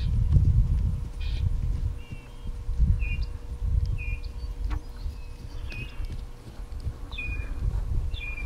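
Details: Suriname clown tree frog calling with short, high chirps spaced irregularly about every second, over a steady low rumbling background noise.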